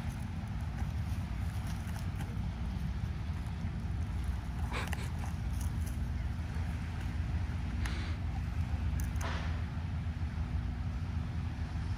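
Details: Seaside evening by a bay: a steady low rumble of wind and passing boats fills the scene, broken by a few brief broadband bursts of noise, with no animal voices.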